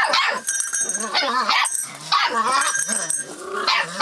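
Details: At 44 days old a Rough Collie puppy, filmed 25 February 2012, responds to changes around it with wavering whines and sharp yips, packed closely together throughout.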